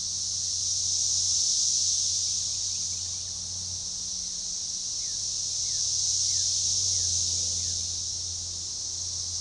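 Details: Organized periodical cicada chorus, Magicicada tredecassini, at a forest edge near DeValls Bluff, Arkansas, June 7, 2015; a steady high-pitched rasping drone swells near the start and again toward the end, over a low background hum.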